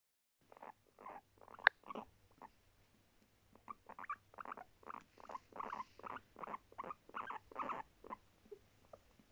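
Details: Pet guinea pig from a family of three barking: a quick series of short, sharp, mid-pitched calls, about two per second, briefly pausing before resuming in a denser run.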